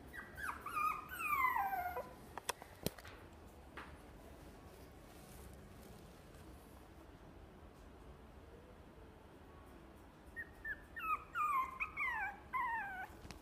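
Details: Chihuahua giving high, whining yips in two bursts, a quick run of sliding squeaks at the start and another near the end, with a quiet indoor pause between them.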